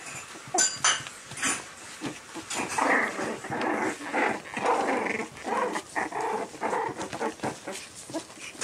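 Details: Puppies making a steady run of soft, rough growling and whimpering noises over several seconds, with a few sharp clicks and knocks near the start.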